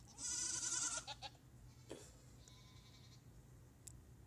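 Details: A female goat in a herd gives one strong tremulous bleat lasting under a second, then quiet shuffling sounds and a low steady hum.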